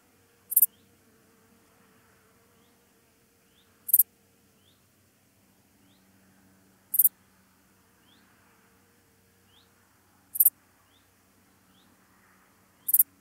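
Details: Meadow Dark Bush-cricket, Pholidoptera fallax, at Pfaffstätten, Austria, on 28 August 2021: five brief, very high, sharp chirps spaced about three seconds apart over a quiet background with a faint low hum.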